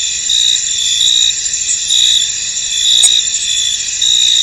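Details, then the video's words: Crickets fill a misty field with an unbroken, high, ringing trill made of stacked shrill tones. The chorus rises and falls softly, with one brief click near the middle. "Tranquil Cricket Sounds In An Misty Field"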